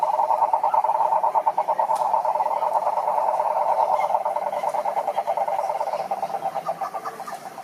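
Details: Group of frogs calling in a pond, dense overlapping pulsed croaking forming a steady mid-pitched trill, the chorus thinning slightly into more separate rhythmic pulses in the final seconds.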